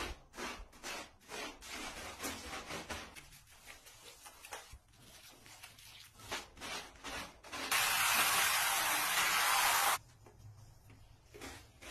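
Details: Rubbing and scrubbing noises in a small room, then a loud burst of spraying water lasting about two seconds before the rubbing resumes.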